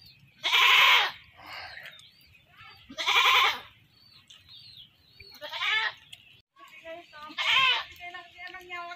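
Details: A captured goat destined for butchering bleats three times, loud and raspy, with human talking in between the cries.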